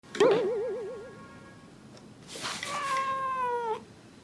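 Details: Male domestic cat in South Korea, recorded 17 September 2017, lunging at and teasing its mother: a short quavering, wobbling yowl, then after a pause a long steady drawn-out cry that slowly falls in pitch, indoors.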